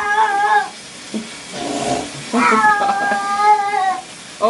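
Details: Domestic cat getting a bath, crying out: drawn-out harmonic meows with wavering pitch, several in a row, a woman's surprised voice and exclamations between them.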